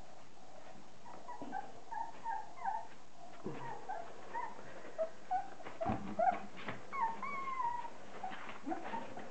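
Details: Border Collie puppies, 30 days old, offspring of Kim and Andy, indoors: many high, thin whimpers and squeaky yelps, some rising and falling, overlapping in irregular bursts through the clip, with soft low thumps underneath.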